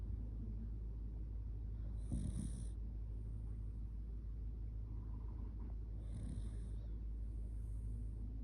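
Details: Sleepy Shiba Inu named Kotetsu snoring heavily while curled up against someone; two rough, hissing snore breaths about four seconds apart above a constant low background hum.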